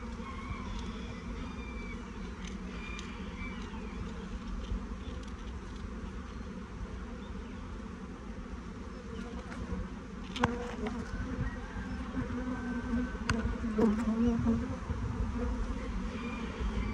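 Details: Swarm of honey bees crawling down into a new hive while being gently stroked from the top, dense continuous low hum, growing louder and rougher toward the end, with a sharp knock midway.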